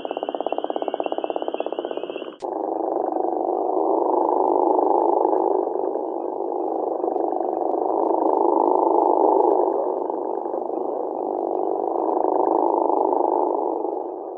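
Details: Gopher frog (Lithobates capito), a Georgia species: deep, rough snoring call that rattles on steadily.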